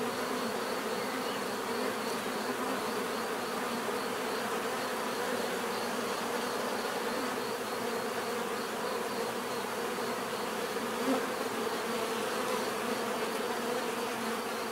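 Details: A steady swarm-like drone of bees in nature, many wings humming together in a thick, unchanging buzz with slight wavering pitch.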